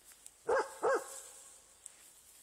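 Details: Vizsla dog in a forest, encountering a roe buck: two short, sharp barks about a third of a second apart, tonal and mid-pitched with bright overtones, over a quiet woodland background.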